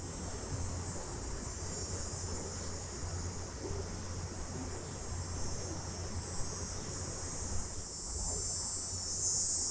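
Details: A night-time chorus of summer cicadas in a stereo recording, a continuous shrill buzzing drone that brightens and grows louder near the end, with a faint low rumble beneath.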